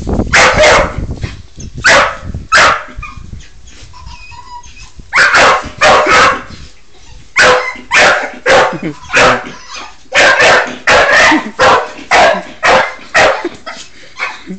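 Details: Bull Terrier dog playing with a hamster, giving loud, harsh barks in bursts of two to four separated by short quiet gaps, around twenty barks in all, with a faint low murmur between bursts.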